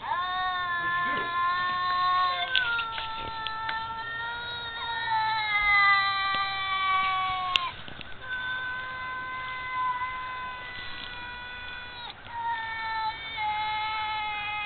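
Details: Two wild cats living in woods behind a house, raised there since kittens, exchange long drawn-out yowls with wavering, sliding pitch, overlapping and answering each other almost continuously, with faint background hiss.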